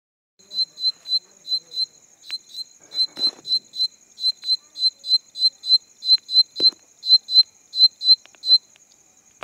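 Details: A night insect gives sharp, high chirps in a steady run, about four each second, as a mating sound.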